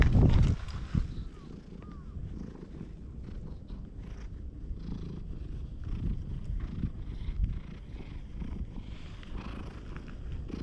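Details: Low, continuous purring from a stray cat pawing at the fluffy cover of a GoPro HERO8, with a loud brushing thump at the start and then an even, deep rumble that carries on unbroken.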